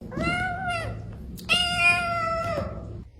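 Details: Pet cat making two long, drawn-out meows, each steady and slightly wavering with rich harmonics, the second louder and longer, sounding like talking; quiet indoor room.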